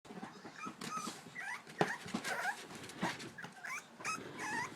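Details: English Bulldog puppies gathered at the edge of their pool, trying to get out and play; several high, wavering whines and whimpers with curving pitch overlap throughout, mixed with scuffling, scratching and clicking movement noises indoors.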